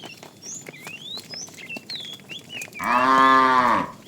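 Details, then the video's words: Cattle herd wandering in the morning looking for food, with calves; chirping birds and soft rustling fill the first seconds before a loud, drawn-out moo with rich stacked tones lasting about a second. "Cute sounds of calves"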